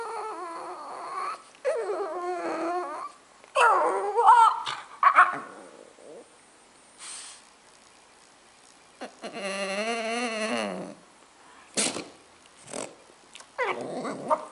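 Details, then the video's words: French Bulldog talking, with a string of separate moaning and whining bursts. Some bursts wobble up and down in pitch and others are low growly grumbles. One longer, strongly warbling howl comes near the middle, with quiet gaps between bursts. "French Bulldog Talking"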